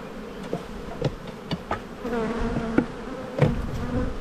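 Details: Honey bees in a bee yard during spring buildup, at a hive inspection of a black hive full of brood, 7-9-22: a steady low droning hum holds two even pitches, broken by sharp knocks and taps of hive equipment.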